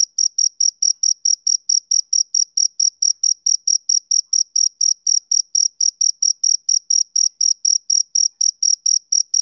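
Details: Summer-evening chirping of a male cricket, a brisk train of bright, high-pitched pulses, roughly four each second, evenly spaced with no other sounds present.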